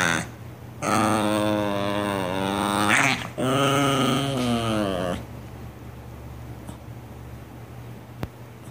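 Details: Grumpy domestic dog answering back, two sustained moaning grumbles of about two seconds each with bending pitch, then quiet room tone with a faint hum.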